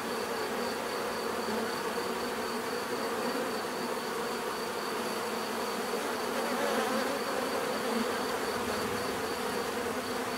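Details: Continuous hum of many bees, a thick unbroken drone with layered low tones and a thin steady high whine, swelling slightly around the middle of the stretch.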